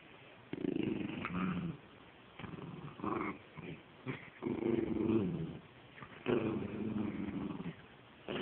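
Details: Penny, a pet dog, growls while playing with a stuffed toy: low rumbling growls in bursts of about a second with short pauses between, and a woman speaking baby talk at times.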